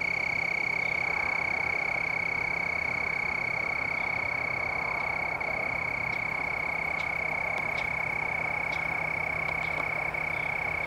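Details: A cricket trills steadily on one high, pure pitch, pulsing rapidly without pause, near plants with leaves and red berries along a trail at Dillon Nature Center, Hutchinson, Kansas, on November 7, 2009.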